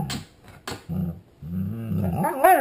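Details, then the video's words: Grumpy dog growling indoors as dinner time nears, a low rumbling growl in broken bursts that rises at the end into a higher whining, warbling yowl; brief clicks near the start. "Grumpy Mishka Wants His Dinner!"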